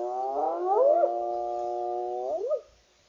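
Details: A spotted hyena (Crocuta crocuta) in Southern Africa gives a drawn-out, mid-pitched, rich-toned call that bends upward, holds steady for over a second, then rises and falls before cutting off.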